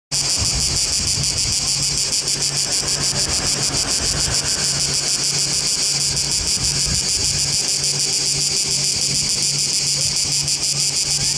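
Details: Cicada orni singing in Trogir, Croatia: a loud, dense, high buzzing chopped into rapid, even pulses, roughly three per second, running unbroken throughout, with a faint low hum underneath.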